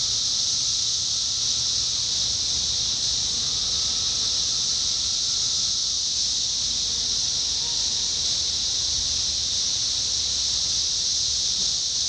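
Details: Indiana, summer 2021: massed 17-year cicadas keep up a continuous piercing buzz, while a few faint, longer lower whirring notes surface and fade beneath the wall of sound.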